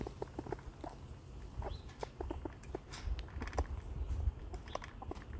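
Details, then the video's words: Hiccuping squirrel feeding and scolding at the same time: brief, soft, pitched hics recur every fraction of a second to a second, amid sharp crackling gnawing sounds and low rumble. "Eichhörnchen mit Schluckauf? Ja, und es kann gleichzeitig futtern und schimpfen."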